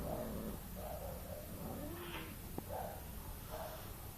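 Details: Domestic cat giving a run of short, soft, mid-pitched meowing calls, about one every half second to second, each a brief wavering tone, with a low rumbling background and one sharp click partway through.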